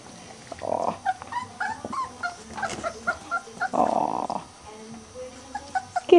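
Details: Three-week-old Weimaraner puppies of the Bravo Litter, out of Trixie, playing with toys on fleece in their pen: high thin whines and yips scattered throughout, with two rough growly scuffling bursts near one and four seconds, and a soft human voice.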